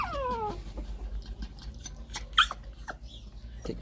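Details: Shih Tzu puppy from a new litter in 2014, a thin whistled whimper sliding steeply downward in the first half-second, followed by soft clicks and faint squeaks.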